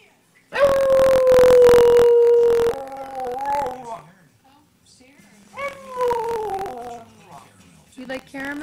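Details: Pilot, a pet Boston Terrier indoors, reacts to a Tim Hortons TV commercial with a long, steady, drawn-out howl that slowly sinks, then shorter wavering howls, while people talk over it.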